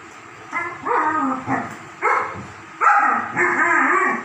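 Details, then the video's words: German Shepherd dogs at play giving a run of harmonic barks and yelping whines, six loud bursts over four seconds, some rising and falling in pitch, with a low background hum. "My German shepherd dogs are playing"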